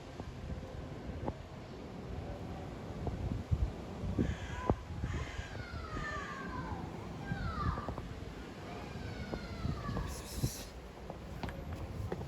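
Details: Female domestic cat in heat calling to mate with a male cat, making strange noises: a series of drawn-out, wavering yowls that slide downward in pitch, some overlapping, over constant low rumble and background noise.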